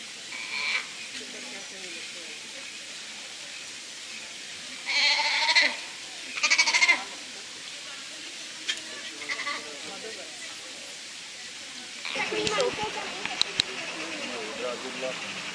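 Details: Sea lion pup at ZOO Praha gives a few loud, harmonic, bleat-like calls in quick succession around the middle, with shorter fainter calls before and after, over background voices and crowd noise.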